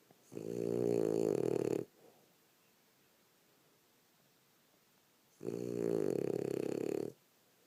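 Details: Snoring French Bulldog, a female worn out from a rough day of play, gives two harsh, buzzy inhaled snores of under two seconds each, about four seconds apart, with near silence between them indoors.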